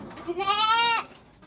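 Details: Boer goat bleating on a farm breeding kids from a fullblood Boer sire and upgraded mothers: one loud, nasal bleat lasting about half a second. It starts with a short rising lead-in, holds steady with a faint quaver, then cuts off, followed by quiet.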